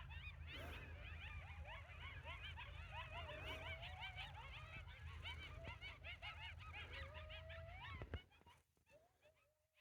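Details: Coyotes heard in the wild during a morning walk on a homestead. A dense chorus of overlapping, high, wavering yips and rising-falling howls runs for about eight seconds, then breaks off. A steady low rumble sits underneath.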